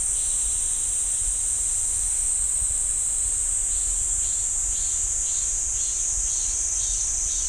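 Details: Cicadas droning in the pine forest at Ssanggyesa temple, Jirisan National Park, a constant high, hissing buzz with faint repeated pulses appearing in the second half.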